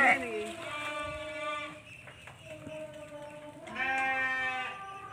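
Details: Male Texel Merino sheep, an 11-month-old jumbo ram kept in a pen; a series of wavering, nasal bleats, one at the start, another near the middle and a third near the end, over a quiet background.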